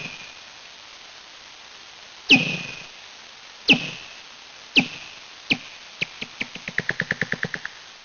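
Common pipistrelle echolocation slowed twenty times: sharp descending chirps that speed up into a quick run.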